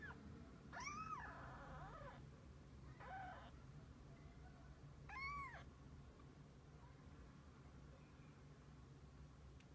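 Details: Mother cat and kittens together: drawn-out arched meows near one and five seconds, with a fainter, shorter cry between, all over a low steady hum.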